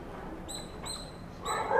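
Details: A squirrel, which the uploader thinks is calling its friends, gives three thin, high squeaks, each held briefly with a clear whistled tone.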